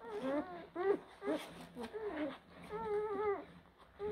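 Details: Young blue Great Danes, pups born April 2023, give a run of nasal, harmonic whines: short bent yelps early, then a longer drawn-out level whimper, with brief pauses between calls and soft background rustle.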